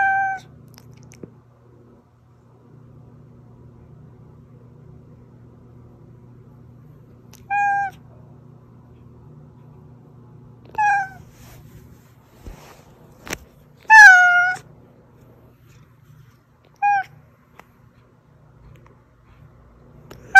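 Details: Oz, a house cat, meowing sparsely to summon hiding cats: short faint meows scattered across a quiet stretch, one louder bright meow near the middle preceded by sharp clicks, all over a low steady indoor hum.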